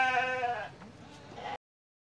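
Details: Sheep kept with lambs of mixed breeds (Dormas, Sopas, Merino, Texel) together in one farm pen; a single harmonic, wavering bleat about half a second long, then quieter rustling and a faint second call.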